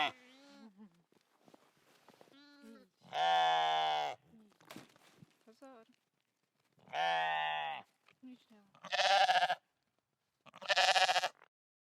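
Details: Goat bleating repeatedly: soft quavering cries at first, then four loud, harsh, trembling bleats, each under a second long and spaced a few seconds apart, with short silent gaps between them.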